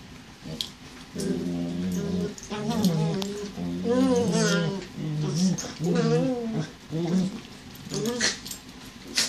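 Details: A border collie mix female and a terrier puppy playing indoors together: wavering, warbling growl-whine vocalizations in repeated bursts of one to two seconds, with short gaps and a few sharper sounds.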